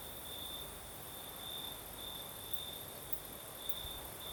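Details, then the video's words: Crickets sing at night in southern Crimea amid a night breeze, their high thin chirping pulsing in short bursts against a steady airy hiss and low wind rumble. "Сверчки поют"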